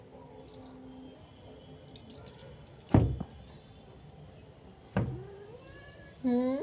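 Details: Domestic cat giving one short meow near the end, a bright tone with stacked harmonics, following two dull thumps and a faint gliding squeak over quiet indoor hiss.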